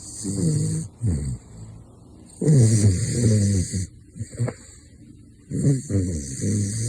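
A caracal snores in low, rumbling bursts, each breath a rough, harmonic-rich snort.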